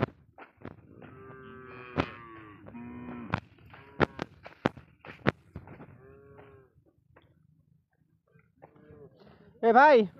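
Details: Cattle that crossed the Indian border, kept on a Padma river char, give short harmonic lowing calls between sharp clacks and nearby voices, then a loud, wavering moo bursts out at the very end.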